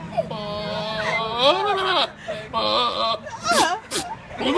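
A goat bleats in a run of strained, quavering cries, each rising and bending in pitch. The nasal calls come in short bursts with brief pauses, strikingly like a person yelling or a baby wailing.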